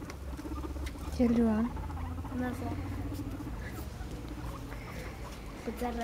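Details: Five pet guinea pigs chasing one another in play, follow-the-leader style: a short harmonic, slightly falling squeak stands out over soft scampering patter, with quiet human voices in the room.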